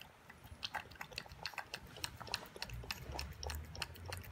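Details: Toby, an 11-week-old Boston Terrier puppy, eats his first raw dinner of beef with veggies and yogurt: rapid, irregular wet crunching and clicking bites indoors, with a soft low rumble underneath.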